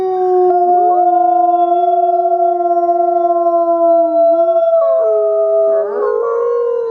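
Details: Wolf howls held as steady, drawn-out tones by at least two overlapping voices, shifting pitch near the end as another voice joins in with wavering notes.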